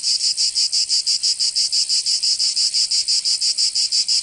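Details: Cicadas of Provence, southern France, calling in summer with a strident high buzz chopped into quick regular pulses, about three per second, loud and continuous.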